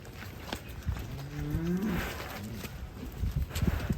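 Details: Horned black Belgian Blue cattle coming out of the pen makes a short, deep lowing moo midway, with nearby voices and thumping handling noises.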